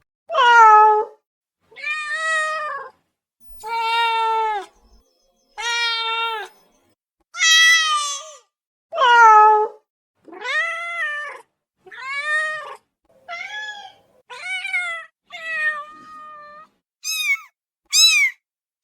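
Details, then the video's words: Domestic cat meowing to demand immediate attention, possibly hungry or greeting; about thirteen clear, drawn-out meows spaced over a second apart, the later ones shorter and higher-pitched, with silence between. "SOM DE GATO MIANDO"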